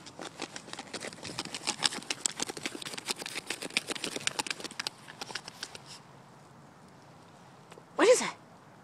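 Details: Lhasa Apso digging: rapid, irregular dry scratching strokes over about six seconds, then quiet, followed by one short rising yelp or whine near the end.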